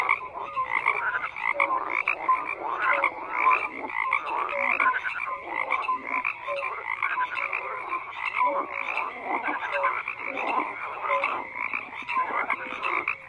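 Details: Steady frog chorus of overlapping croaks, grating and pulsed, repeated without a break, with short higher clicks and chirps scattered through the mass of calls.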